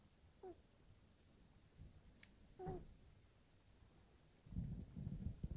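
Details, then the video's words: Sleeping kitten, a female, gives two brief squeaky whistling snores early on, then a stretch of low rattling breathing toward the end; faint background hiss. "Very cute Kitten snoring"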